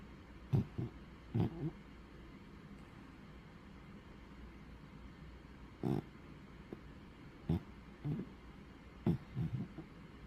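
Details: Bubba the pug snoring while asleep: short, low, rough snorts and breaths in uneven bursts, some doubled, several seconds apart over a quiet background.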